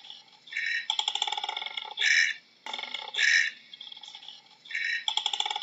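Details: Koala bellowing: buzzy, rattling pulsed segments broken by loud, rough bursts, with a short pause between bouts and no other sounds.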